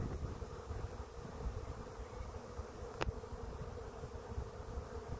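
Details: Bees of a large swarm hanging in a cluster on a tree beside a swarm trap. A continuous, even drone holds throughout, with one sharp click near the middle.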